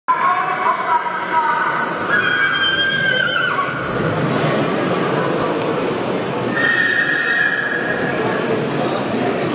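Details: Monar, a Polish Coldblood stallion born 2020, sired by Gabor out of Mona, neighs in two harmonic bursts: a long wavering one over the first three seconds, then a shorter steady one near the end, with people talking throughout.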